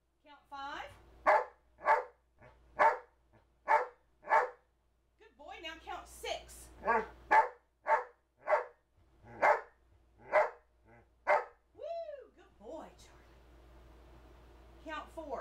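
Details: Male Old English Sheepdog, two years old, barking a run of short even woofs in steady succession while counting on cue indoors, then a drawn-out whining vocal, with a man's spoken counting commands overlapping.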